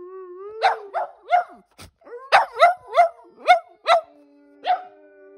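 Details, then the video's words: Percy the Boston Terrier and Bear the German Shepherd-Black Lab mix answer their owner's howl indoors, giving rising yelping cries about twice a second over low sustained howling tones. "Dogs Responding To My Human Howl"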